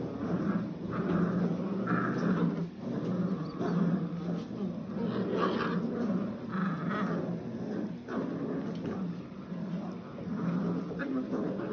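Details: Nine Old English Sheepdog puppies, seven weeks old, playing tug-of-war with tug toys for the first time: continuous low growly rumbles and scuffling with short bursts of squeaky whines, toy noise throughout.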